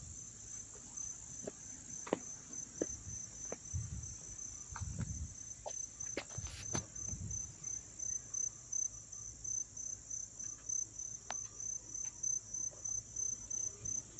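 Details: Crickets chirp up close in Dobbs Ferry, New York, on September 9, 2024, in a steady, high, continuous trill, with a few low thumps and knocks.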